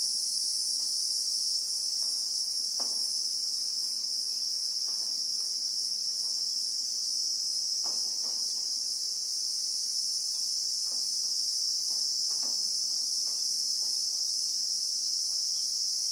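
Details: Christmas beetle (Anoplognathus) droning in South Africa's bushveld, heard in real time: a constant, intense high whine never breaks, while faint irregular clicks sound beneath it.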